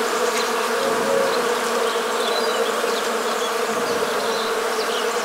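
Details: Western honey bees (Apis mellifera) make a steady, droning buzz that holds an even pitch throughout, recorded in the Morbihan countryside, Brittany, France, in winter on 1 January 2022.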